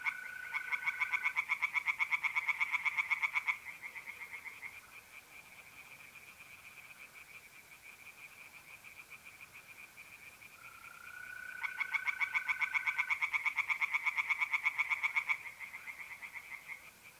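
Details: Tree frogs singing by night in a pond in north-east Italy in mid-April: loud bursts of rapid, evenly pulsed croaks lasting several seconds, separated by a quieter steady trill of mole crickets and a smooth humming tone.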